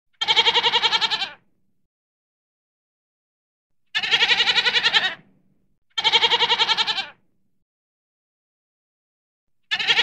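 Harsh, wavering bleats from a mountain goat come one after another, each lasting about a second with a tremulous, pulsing quality. Gaps of one to two seconds separate the calls, and little else can be heard.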